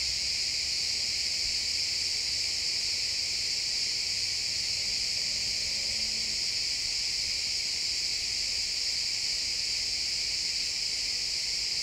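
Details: Chorus of crickets in a pine forest at sunset, a continuous high shimmering buzz of many overlapping chirps with no breaks, recorded in stereo in the woods; a faint low rumble sits underneath.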